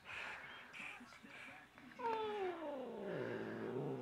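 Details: Excited house cat rolling around lets out a drawn, falling meow that glides from a clear higher tone down into a low rumbling end, preceded by muffled human speech and soft room noise.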